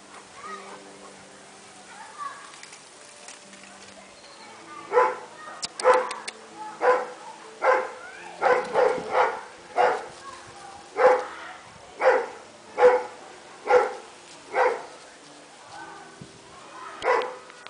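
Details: Dobermans in a group, a steady series of loud barks repeated about once a second, some in quick doubles, with quieter sounds and a voice before they start.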